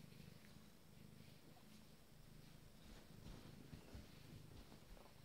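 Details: Nine-day-old Abyssinian kittens purring: a steady, low rumbling hum that pulses continuously throughout, with faint soft rustles above it.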